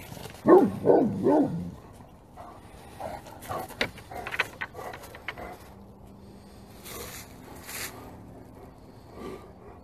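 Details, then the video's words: Several Great Pyrenees barking together as hard as they can: three or four deep, booming barks in rapid succession, then softer, irregular barks and clatter trailing off over low background noise. "グレートピレニーズ 犬 鳴き声 みんなで全力で吠える Funny Dog Great Pyrenees Bark"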